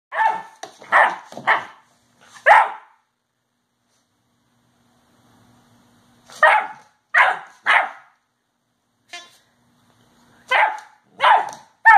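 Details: A 10-week-old Irish setter puppy gives high, sharp barks in quick bursts with pauses between.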